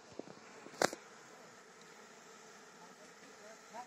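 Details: Honey bees humming as their honey is harvested in Palpa Rampur; the low buzz runs steadily beneath one loud knock near the start and faint voices.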